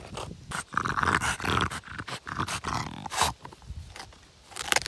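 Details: French Bulldog playing with a log, growling with a buzzy whine among heavy scuffling and rustling noise.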